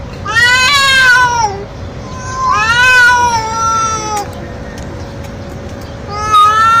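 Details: Male street cat, young, yowling for a female in heat: two stretched, descending meows in quick succession, then quieter murmuring and one more rising wail at the end, faint steady hum throughout.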